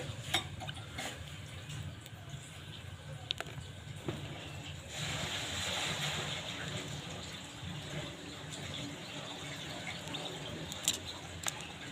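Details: Running and splashing water with a steady low hum, faint voices and a few sharp clicks, with no animal calls.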